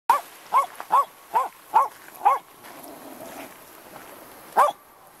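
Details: Wire-haired Jack Russell terrier on the beach at Lydstep near Tenby, Pembrokeshire, Wales, barking at the incoming tide: six sharp, clipped barks about every half second, a pause with surf hiss, then one more bark.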